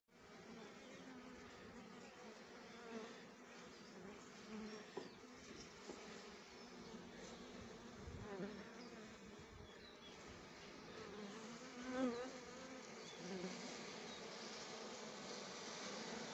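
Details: Many honey bees working rhododendron blossoms for nectar, their humming buzz rising and falling as individual bees pass close, with a few sharper swells near the middle and late in the clip.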